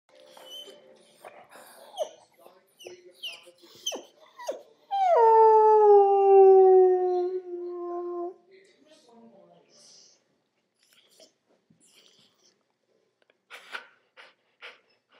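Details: Male puppy howling, sad because his squeaky toy won't stop squeaking: one long, tonal, rich howl of about three seconds sliding steadily downward in pitch, with soft clicks, rustles and faint voices before and after.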